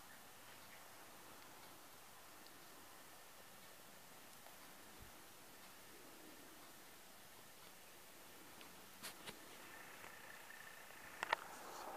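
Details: A quiet indoor room with a low, steady background hiss, broken only by a few faint rustles and soft clicks near the end.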